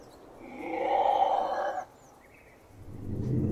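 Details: Ocelot producing a single mid-pitched, harmonic, moaning yowl of about a second and a half, followed by quiet and the start of a lower rough call; a faint bird chirp is heard in between.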